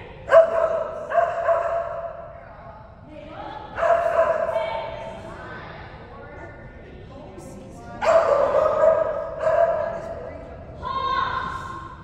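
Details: Kerry Blue Terrier, excited and full of energy during agility, giving drawn-out, tonal yowling barks in six bursts, each lasting up to about a second and a half, with quieter gaps between them.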